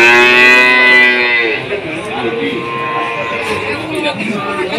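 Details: At the Jatirogo cattle market in Tuban, during a foot-and-mouth disease outbreak, cattle give a rich, droning bellow that fades after a second and a half, followed by busy market chatter and some music.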